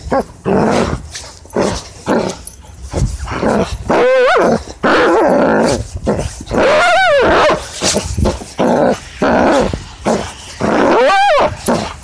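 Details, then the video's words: Jager, a German Shepherd, growls steadily while playing tug, broken by sharp, rising-and-falling whining yelps, three clear ones at roughly four, seven and eleven seconds, over rough scuffling noise. "Jager Loud Noises and Tug"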